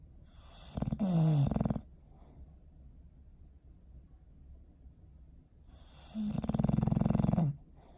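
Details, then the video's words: Sleeping dog Bowser snores on December 21, 2019: two long, rattling inhalations about five seconds apart, the second stretching past a second, each starting with a short sliding tone, near-silence between. "Sleepy Snoring Face"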